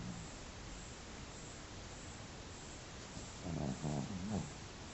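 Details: Dog asleep and snoring, a single low grumbling snore broken into several pulses late in the stretch, preceded by quiet steady hiss.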